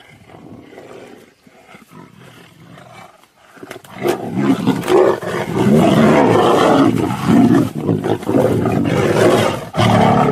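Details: Fighting tiger and lion: low muffled rumbles for the first few seconds, then from about four seconds a sustained loud, rough roaring and snarling tussle with ragged growls.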